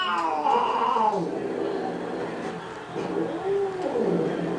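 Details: Cats fighting over a pink toy Mustang, one letting out long, bending, moaning yowls that rise and fall, two drawn-out cries over a steady background hiss.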